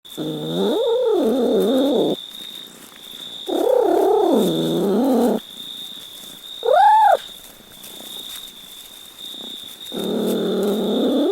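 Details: Cat meowing in four drawn-out, wavering cries of about one to two seconds each, one shorter and higher-pitched, separated by quiet gaps, with a steady high electronic whine running throughout.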